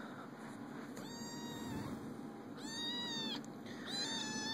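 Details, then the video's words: Kittens playing indoors give three clear, high meows: a short one, then a long drawn-out one that rises and falls, then a third starting near the end. A steady electrical hum and low room noise sit underneath. "Cute kitty cats playing & making kitty sounds"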